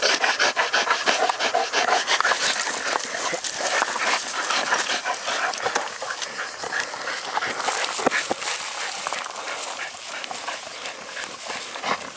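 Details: Two American Bulldogs tussling as they test their strength, heard as fast, harsh panting repeated roughly three times per second, with a brief whimper-like sound amid the steady breathy rasping.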